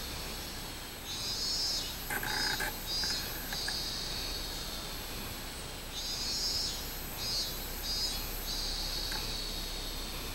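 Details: Summer song of a minmin cicada, 24 July 2016: repeated high shrill pulses in two bursts, joined by brief knocking or rustling sounds early on and a softer lower buzz, all against continuous background hiss.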